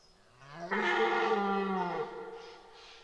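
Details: Red deer stag bellowing during the 2023 rut at Boutissaint natural park: one hoarse, harmonic-rich roar lasting over a second. It rises slightly from a low start, then drops off, with a quiet background before and after.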